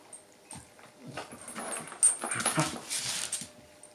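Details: Shiba inu Yuki and bull mastiff Dune play fighting over a chew ball indoors; low rumbling growls and scuffling bursts, louder toward the middle, with short noisy snorts and thumps of movement.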